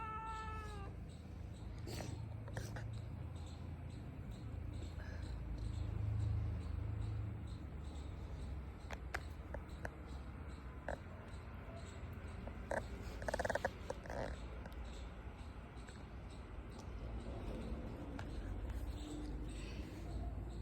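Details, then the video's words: Pet cat meowing and yawning at the same time: a drawn-out, wavering meow opens the recording, then fainter sounds over a steady low hum, with a few clicks and rustles. "Funny Cat 🐱 meowing and yawning same time"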